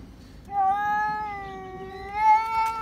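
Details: Domestic cat screaming, set off by spotting another cat outside: a single long, steady, harmonic-rich yowl lasting over two seconds, swelling slightly louder toward the end, over a quiet background.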